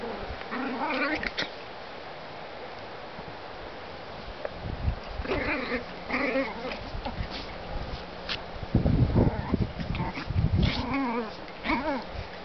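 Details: Two Chihuahua sisters fighting each other: snarling growls mixed with sharp yaps and wavering high whines in repeated bursts, with a deeper, rougher growling scuffle near the end.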